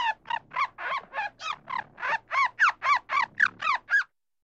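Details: A squirrel in a forest gives a fast run of harsh, rasping barks, about four to a second.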